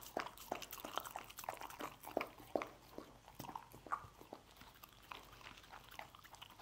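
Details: Pet dog gulping scrambled egg indoors, a fast and busy run of moist smacks and crunchy clicks, irregular and close together, loudest in the first half, room otherwise quiet.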